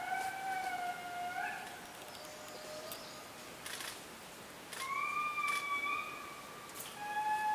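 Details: Indri lemurs in the Périnet Reserve, Madagascar, giving long wailing tones that slide and hold, with a later rising wail; high overtones stacked above, faint background chatter.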